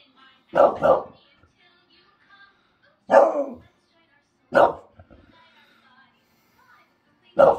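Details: Two English Bulldogs bark, annoying the neighbours: short, gruff barks, a quick double bark followed by single barks spaced a few seconds apart.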